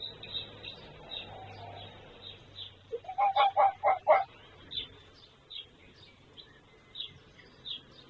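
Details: A male red fox, filmed 26 February 2024, gives a quick run of five hoarse, yelping barks amid high, thin chirping; another fox responds, and the recordist suspects it is a territorial call.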